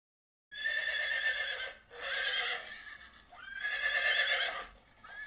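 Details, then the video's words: A horse neighs three times in long, shaky, vibrating whinnies, the last starting with a quick rising sweep. A faint hiss sits under the calls. "Zebra vs Horses Sounds"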